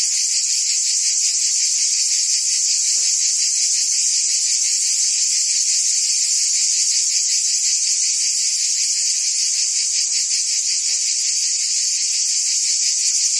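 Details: Cicadas buzzing in forest trees: a dense, steady high-pitched drone throbbing about two to three times per second, continuous throughout with no other clear sounds.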